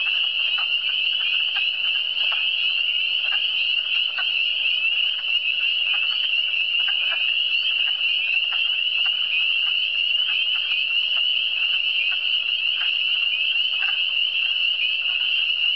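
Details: Chorus of frogs from the Eastern Townships, a constant shrill trilling drone of many overlapping callers, joined by soft irregular lower croaks scattered through the recording, no other sounds evident.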